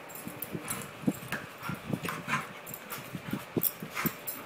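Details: Dog chasing its tail, giving short rough growls and huffing bursts at an irregular rate of roughly one a second, mixed with scuffling and clattering noise.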